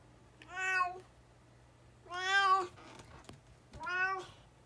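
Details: Indoors, a talkative brown tabby cat, lively again after recovering from a cold, gives three clear, drawn-out meows spaced about 1.5 seconds apart. Each meow is rich in harmonics and holds a fairly steady pitch, with a faint hum in the background.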